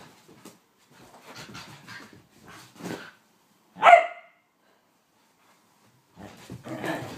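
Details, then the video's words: A whippet having a mad five minutes: scuffling and panting-like rustles, then one loud sharp bark, followed by more scrambling noise. "Blu the whippet going crazy"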